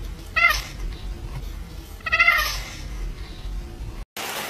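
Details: Domestic cat meowing: two drawn-out, harmonic meows about 1.7 seconds apart, heard over a noisy background with music.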